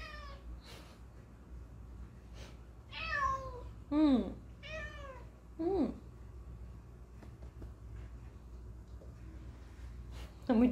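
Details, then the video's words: Talkative pet cat answering its owners indoors: a series of about six meows, some arched and drawn out, others short and rising, spaced one to two seconds apart, ending with a sharp final meow. "Gato falante miando com humano"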